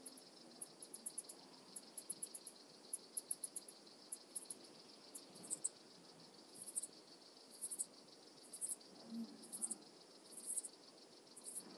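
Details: Brixen, Italy, 11 September 2022: an Alpine saw bush-cricket produces faint, very high tick groups repeated roughly every second against a steady background hiss.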